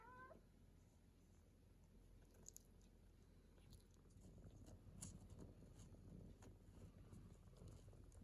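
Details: Nineteen-day-old British Shorthair kittens, striped females and one unstriped male, play with their mother cat; one short, rising mew opens the recording, followed by low rumbling and scattered clicks and scuffles.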